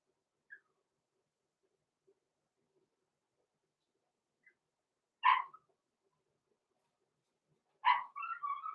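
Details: Six-week-old blenheim Cavalier King Charles Spaniel puppies, Roman and Blue, born November 14, 2022, in an indoor puppy pen. Two short, sharp yipping barks come near the end, one followed by a brief wavering whine, after long quiet with faint ticks.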